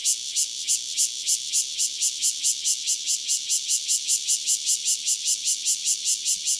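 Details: A single cicada, Cryptotympana takasagona, recorded near Dona village in KaoHsiung County, Taiwan, gives a loud high buzzing song pulsed in even bursts, about three to four per second, with nothing else audible.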